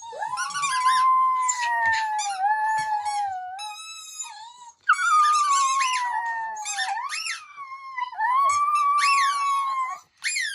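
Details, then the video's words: Female puppy howling along to a recording of her own howls, begging for a squeaky toy: sustained, wavering, strongly harmonic howls that rise and fall, with overlapping voices and one short break around five seconds in. "Puppy Howling At Herself Howling For Squeaky Toy"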